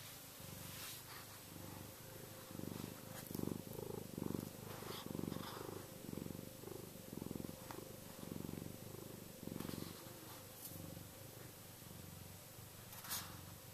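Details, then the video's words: Chester, a contented pet cat, purring energetically yet soothingly; a steady low rumble pulses in breaths of about half a second, with a few faint clicks and rustles over it. "Chester Kitty Purring - cat purr!"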